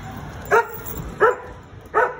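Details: American Akita in Gurgaon giving three short sharp barks spaced roughly 0.7 seconds apart, over steady background noise.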